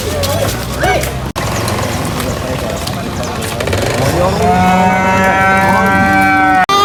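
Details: Cow being unloaded from a truck at a market; a long harmonic moo rises and holds steady in the second half, over constant crowd noise, Indonesian speech and shouting.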